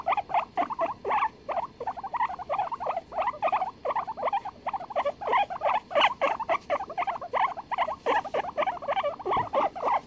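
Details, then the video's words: Two guinea pigs duetting, recorded 23 February 2021: rapid, repeated squeaky chirps and chuttering notes, mid-pitched, several per second, overlapping in a busy, continuous back-and-forth. "The guinea pigs duet"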